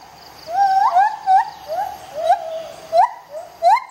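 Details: White-handed gibbons Bella and Dexter, a rehabilitating pair at the Gibbon Conservation Society, duetting in morning jungle: rising whoops near one kilohertz, each ending in a sharp upward flourish, repeated roughly every half second, with faint insect hum.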